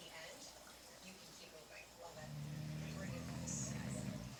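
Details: A male English Bulldog snores, a low buzzy rumble that swells halfway through and holds steady.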